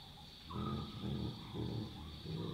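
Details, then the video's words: Chacma baboons calling at night in the African bush, wild troop: four deep, rhythmic grunts about half a second apart, low and throaty, over a constant insect drone. "Baboon Sounds & Calls - Wild barks and grunts of Chacma Baboons"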